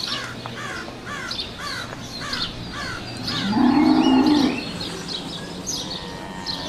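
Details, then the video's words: Young cow letting out one short, hoarse, nasal moo of about a second. Before it, a bird repeats quick falling chirps about every half second, and that chirping continues afterwards. "baby caw"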